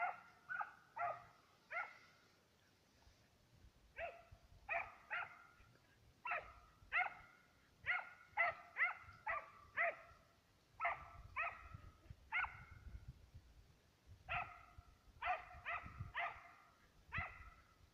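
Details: Two Serbian hounds hunting on the trail of fox and roe deer, baying almost continuously in quick irregular bursts, voices overlapping at times, with faint rustling underneath.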